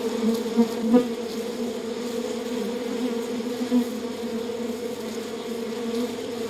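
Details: Steady hum of a honey bee colony in its hive: a thick, continuous low drone with brief louder surges near the first second, otherwise even and unbroken.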